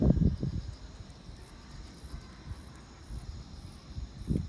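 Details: A cricket on a quiet autumn evening gives thin, very high chirps at an even pace, about one every half second, near a 5-month-old fox terrier.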